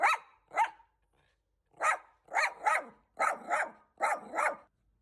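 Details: Bichon Frise indoors barking to guard its owner from a stranger, a repairman, entering the home: sharp, bright barks in pairs and short bursts, about nine barks over five seconds with silent gaps between.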